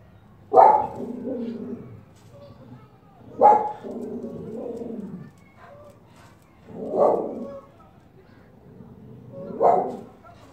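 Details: Female Norwegian Buhund, Pakistan, 2018: four single loud barks spaced roughly three seconds apart, each dropping into a lower, drawn-out grumbling tail before a pause.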